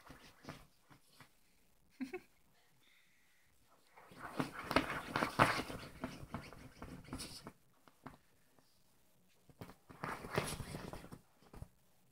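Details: Ronnie, a pet Yorkie, wrestling with his pillow in his doggy bed indoors: a few light snuffs, then two long stretches of rough, fast snorting and huffing mixed with fabric rustle.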